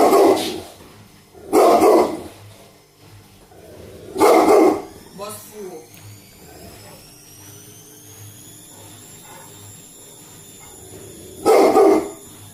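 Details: Indoor dog barking at its own reflection after hearing a noise on the balcony: four loud, deep single barks spaced about two seconds apart, then a long pause before a final bark, with a person speaking in between.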